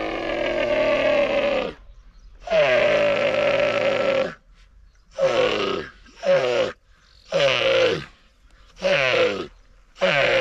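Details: Young dromedary camel crying in northern Sudan. Seven loud, harsh, groaning cries. The first two are long and drawn out, and the later ones are shorter bursts of about a second, separated by brief silences.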